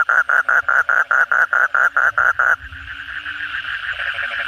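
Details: Asian common toad (kodok bangkong) after a night of heavy rain, giving rapid rhythmic croaking pulses for over two seconds. A dense, blended background chorus of many other calling frogs follows.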